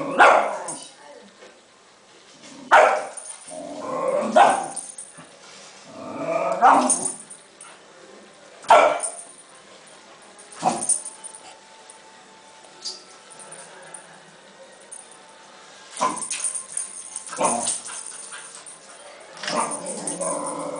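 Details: A Cairn Terrier, excited while playing with a balloon, gives sharp barks in irregular bursts, with a brief human voice.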